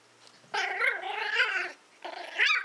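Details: Willow, a Toy Fox Terrier born in April 2012, playing with a pig's ear, gives a sustained, raspy, wavering growl lasting over a second. A pause follows, then a second growl rises in pitch at its end.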